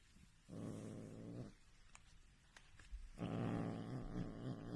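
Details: Two low rumbling growls from a domestic cat, the first about one second long, the second longer and louder, separated by clicks and handling noise.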